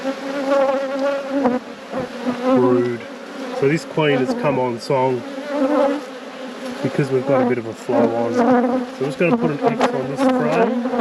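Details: Honey bee colony at an apiary: a continuous droning hum with many individual bees zipping past in quick rising and falling whines, plus short low murmurs in the background.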